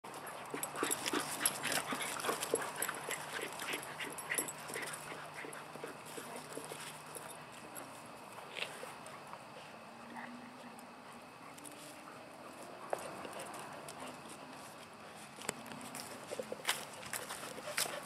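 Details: CeCe, a 2½-year-old neutered male Wheaten Terrier mix, pants quickly during play: breathy, hissing bursts at roughly three per second, uneven in rhythm, over a faint steady low hum.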